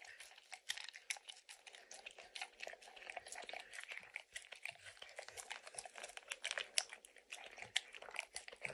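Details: A dog named Max works at peanut butter and kibble in an orange lick mat. The soft, sticky tongue clicks are steady and closely packed and continue without pause, with faint crinkly textures in a quiet room.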